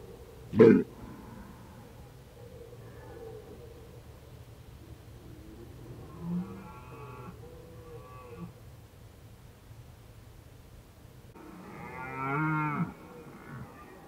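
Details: A red deer gives deep, drawn-out roaring calls with a rough, moaning tone, recorded in autumn (Indian summer) at Krasny Bor on 1 October 2015.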